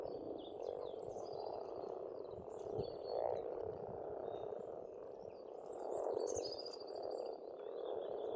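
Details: Springtime pond frogs on an Estonian farmstead form an unbroken low croaking drone with louder surges near three and six seconds; birds add thin repeated whistles and chirps in the background throughout.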